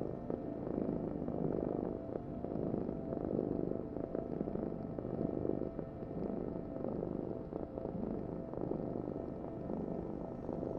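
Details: A cat purring in a dense, almost unbroken low rumble, fuller and steadier than a breathing rhythm, with only faint rises and dips over ten seconds.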